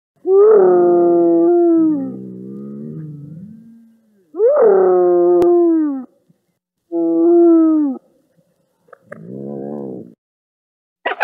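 A hyena gives loud, rich moaning calls that swoop up, then hold and slide lower.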